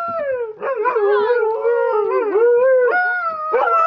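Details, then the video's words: Two Siberian huskies "sing" on command, howling in long, wavering, mid-pitched tones that bend up and down, their voices overlapping in short bursts for about four seconds. "Siberian Huskies Zoey and Cesar "Singing" on Command"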